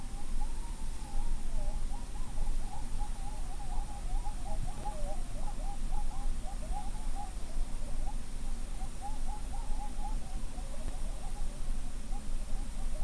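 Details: Coyotes calling at night in March 2019, caught by an audio recorder left out on a front porch: faint, quavering, warbling howls wavering up and down in pitch for about twelve seconds over a constant low rumble.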